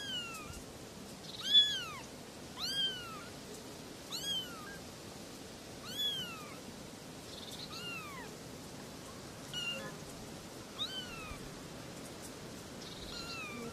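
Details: Three little kittens mewing in a steady string of thin, high, downward-curving cries, roughly one every second or two, some overlapping, fading toward the end against a light background hiss.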